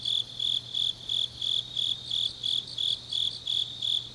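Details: Autumn grass insects calling in the deep night at Changnyeong, Korea; bright, high trilled pulses repeat roughly three times a second, evenly spaced, over a faint steady low hum.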